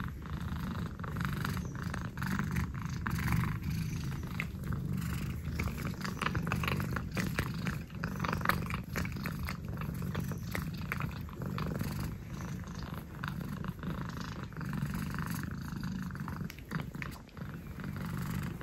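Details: Saffron, an orange cat, licks the air while purring, a continuous low rumbling pulse with small wet licking clicks throughout.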